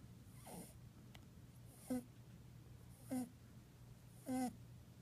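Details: Young male pet rabbit napping indoors, snoring in short nasal snorts with a buzzy harmonic tone, three breaths a little over a second apart after a faint first one, over a steady low hum.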